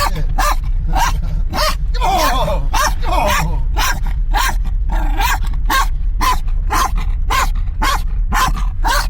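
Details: A Kangal crossbreed and a Kangal dog in a moving car during tense moments between them; rapid bursts of deep, harsh barks about twice a second, a brief whining yelp near the start, and steady low engine rumble underneath.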